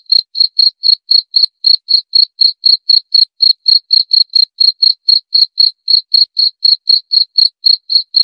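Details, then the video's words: Cricket chirping steadily, a clean high-pitched chirp repeated about four times per second with no gaps, a faint higher overtone above each pulse; no other sounds, background silent. "Suara Jangkrik untuk pengusir tikus & therapy insomnia"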